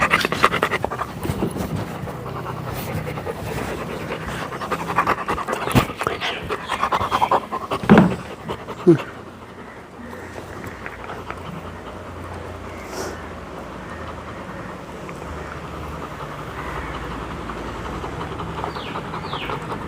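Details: Labrador Retriever at play, rough breathy panting mixed with handling noise and clapping during the first half, followed by a quieter stretch with faint background sounds.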